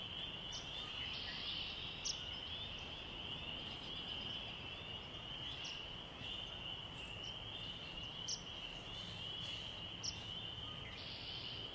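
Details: At night, crickets keep up a steady, high, shimmering trill without a break, with a few brief sharp chirps, perhaps peepers or birds, now and then above it.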